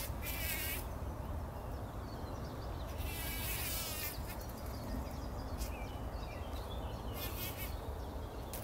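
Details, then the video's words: Before sunrise in 2019, bumblebees roll through poppy flowers, their deep steady buzzing droning throughout, while short high rippling bursts appear at the start, around the middle and near the end. "Hummeln wälzen sich in der Mohnblüte – summend wird das Pollenbad angenommen"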